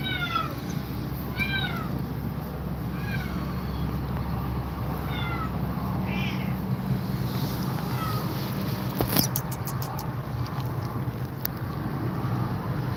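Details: Scared cat facing two mother cats, meowing repeatedly: short, downward-sliding mews every second or two, then a cluster of clicks and knocks midway, all over constant low rumbling noise.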